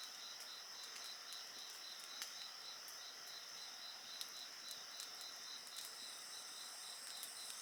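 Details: Insect voices forming an unbroken high-pitched hum and steady pulsing trill, joined midway by another bright buzzing tone, with frequent snaps and crackles from a burning fire.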